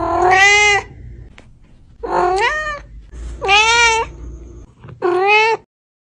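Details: Domestic cat giving four drawn-out, tonal meows, each rich in harmonics and rising then falling slightly, spaced about one to two seconds apart, over a low steady hum indoors.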